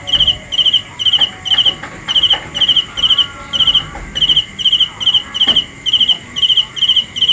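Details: Nighttime cricket chirping: quick high trilled bursts repeating roughly two times a second, evenly spaced with one short gap, and faint background noise and low clicks underneath.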